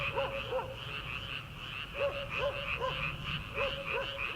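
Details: Frogs calling from rice paddies in early summer, before rice transplanting: short arched croaks in quick clusters over a steady high chorus hum and a low rumbling background.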